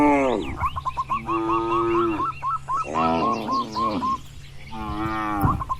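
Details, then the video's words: Herd of tame, herded cattle grazing freely in a wide rural field. Drawn-out, harmonic moos arrive in several long bellows, with a bird's short chirps repeated quickly throughout. "Bunyi Sapi Lembu Lucu"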